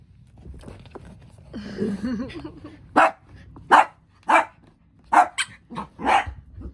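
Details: Miniature dachshund puppies playing: a short, low, wavering growl, then about five sharp, bursting yips or barks spaced under a second apart. A man's voice is heard nearby.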